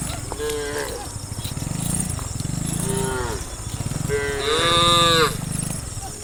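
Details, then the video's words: Tame cows running and jumping downhill in a line, mooing: about four moos with wavering harmonics, the last one loudest and longest, over a continuous low thudding rumble. "the sound of cows mooing"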